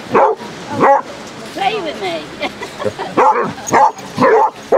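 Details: A pack of thirty Basset Hounds out on Exmouth beach, Devon, in sunshine, with sharp barks at the start and end and a brief spell of quieter whining and talking between them.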